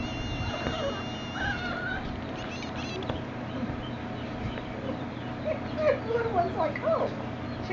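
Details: Jack Russell Terrier puppies, a couple of weeks old, playing with a shoe; short high squeaky whines and yelps come in bursts, loudest near the end, over a steady electrical hum.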